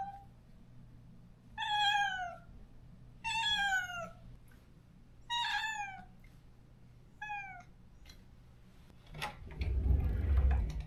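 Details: Stray cat at a countryside home, crying out after neutering for its lost companion: four falling meows about every two seconds, a fainter fifth, then rustling and handling noise.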